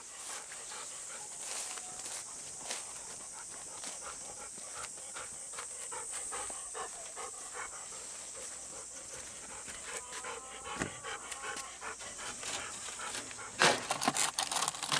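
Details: Golden Retriever on a humid summer morning walk from a field, with the dogs Bis and Kohaku, panting in the heat: soft irregular breathy huffs about twice a second under a steady high-pitched drone, with brief rustles and a sharper noise near the end.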